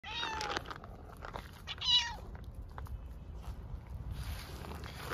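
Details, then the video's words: Hungry stray cats on the streets of Istanbul meowing loudly for food and attention: two short rising-falling meows in the first two seconds, then quieter background noise with faint street hiss. "Hungry homeless cats meow loudly asking for food and attention"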